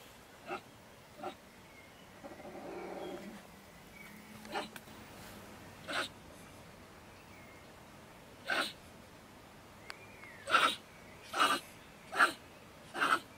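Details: Night-time outburst from a female beech marten (stone marten) sheltering in a woodpile next to a shed in Germany around 10 pm: sparse sharp cries with gaps, then a quicker series of harsh bursts.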